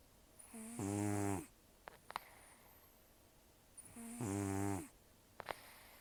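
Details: Taro, a rescued senior cat aged about 10 to 14, with almost no teeth from periodontal disease, snores while asleep: two rough, buzzing low snores on the in-breath, a few seconds apart, with a faint hiss and soft clicks between them.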